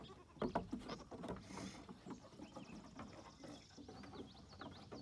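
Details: Young female goats playing on their new playground. A brief goat bleat sounds near the start, followed by hoof clomps and pattering footsteps, with faint high whistling tones in the background.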